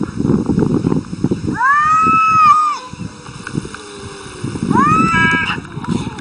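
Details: Arguing cats trade long harmonic wails that swell and then trail off, with a second cry following about two seconds later. Rumbling, muffled background noise and chatter fill the gaps between calls.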